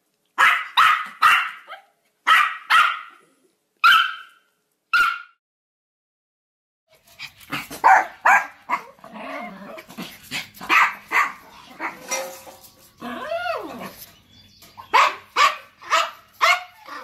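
A Yorkshire Terrier gives sharp, high-pitched yapping barks in quick bursts with short pauses.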